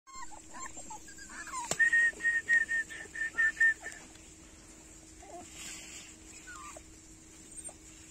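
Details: Chocolate and chocolate-dapple Dachshund litter; a quick run of about eight short, thin, high whimpering yelps packed into two seconds, then a quieter stretch with a steady hum and faint scattered noises.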